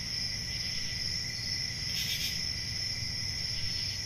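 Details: Nighttime forest crickets in summer give an unbroken, piercing layered trill, with one brief brighter swell near the middle and a gentle low rumble underneath.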